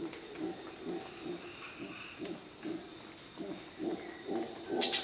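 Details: Howler monkey calling at dawn in Costa Rican jungle: low, grunting roar pulses repeating about twice a second, somewhat uneven, over a continuous high insect buzz and scattered bird notes.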